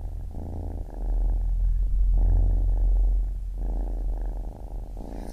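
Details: Close, loud rumbling purr of a baby kitten, a few long breath cycles with a deep low hum beneath.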